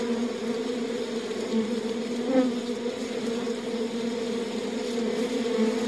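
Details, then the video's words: Inside the hive, a mass of honey bees produces an unbroken humming drone, with a low fundamental and a clear overtone and small swells in loudness. "Buzzing World of Bees: Beehive Ambience"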